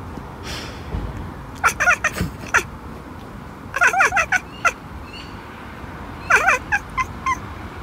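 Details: Bengal cat chirping and chattering, bursts of quick clipped chirps in three clusters, some notes bending downward, with quieter soft clicks between.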